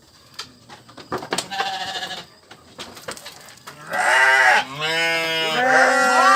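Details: Sheep bleating: a noisy, rustling start with scattered clicks, then from about four seconds loud, quavering, wavering bleats, two or more voices overlapping to the end.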